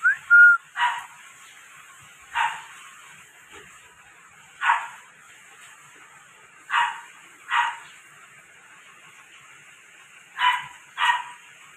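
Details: Toy Poodle puppies at a Delhi kennel, India, give short sharp yaps, single or in quick pairs, about every two seconds over a steady background hiss, with a brief whistle at the start.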